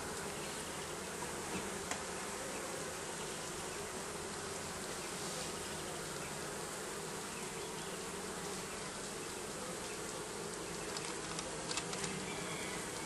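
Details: Bees beneath roofing produce a constant heavy buzzing hum, with a few soft taps and clicks breaking through the drone.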